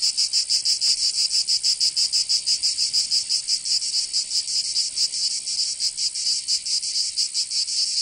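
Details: Summer cicada chorus from Provence in the south of France, a loud grating buzz that throbs in quick uneven pulses, continuous throughout, high-pitched and without other animals or voices.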